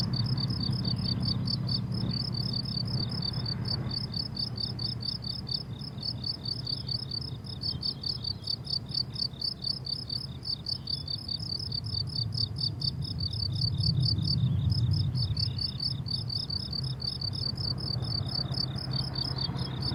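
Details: Meadow crickets on a summer day chirp in steady high pulsed bursts, several insects layered into a rhythmic chorus, over a low rumbling background that rises briefly midway.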